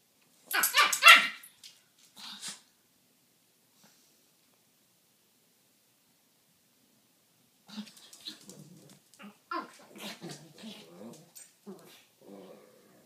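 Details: Two Pekingese dogs at play inside a home: a loud cluster of rough barks opens, a long silence follows, then a run of softer yips, whines and grumbling play noises.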